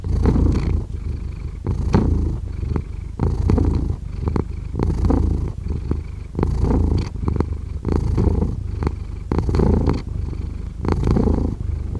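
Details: Continuous low purring from a pet cat, throbbing pulses in a regular breathing rhythm of about forty cycles a minute, alternating inhale and exhale phases with faint higher rasps, close and quiet.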